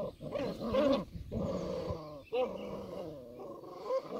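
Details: Playful growls from Old English Sheepdog puppies at play: rolling, throaty grumbles rising into a whiny yelp near the start, then a sustained rumbling growl with another brief yip.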